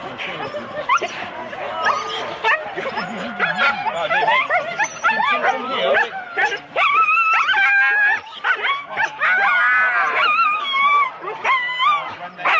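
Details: Husky teams of four dogs at the start in Rendlesham, January 2016, recorded on analogue cassette: long wavering whines and stepped yodel-like howls over scattered barks, with people talking in the background.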